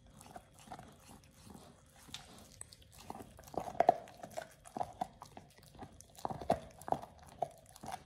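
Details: Oliang, a Pit Bull, eats a raw ostrich paw for the first time. Sharp crunching bites and gnawing come in irregular bursts, denser and louder from about the fourth second, with quieter wet chewing between them.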